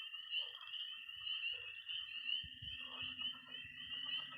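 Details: Early spring night in Missouri, with peeping tree frogs, croaking pond frogs and high-pitched trilling toads: rapid repeated peeps over a steady trill, and deep low croaks joining in from midway.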